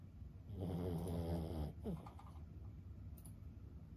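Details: Senior Boston Terrier Lulu, 15 years old, sleeping: one rumbling snore of just over a second, then a short sliding exhale and quiet breathing with faint ticks behind.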